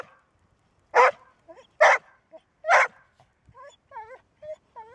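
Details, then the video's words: Three loud, clipped barks from a Golden Retriever, a dog that barks only when it must, come in quick succession. A string of high, wavering whines follows them. ""Bellen", Golden Retriever"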